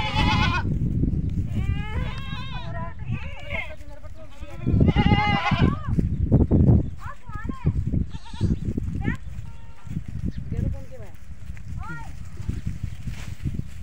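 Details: Goats on a goat farm calling, which brings the kids to them. Repeated quavering bleats of differing pitch follow each other in quick succession over human talk and low noise.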